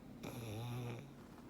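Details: Snoring black pug Frank, sleeping comfortably indoors, gives a single low, droning, rattly snore of just under a second.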